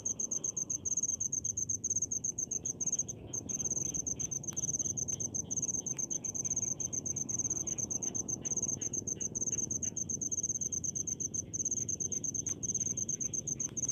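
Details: Cricket calling in rice fields, a steady high, shrill chirping in rapid pulses, nearly unbroken, with a brief pause around three seconds; soft low rumble of background noise beneath.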